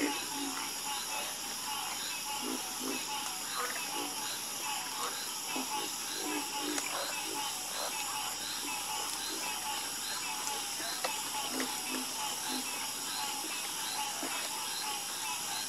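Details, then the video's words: Harmonious frog croaking, with low clipped notes coming in loose clusters and gaps, set against a dense, unbroken high-pitched buzzing background. "Calming Sound Of Harmonious Frog Croaking"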